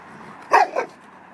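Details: Oversized long-haired German Shepherd, a neutered 1.5-year-old male up for adoption, gives one loud, gruff bark split into two quick bursts, the second softer, against a quiet background.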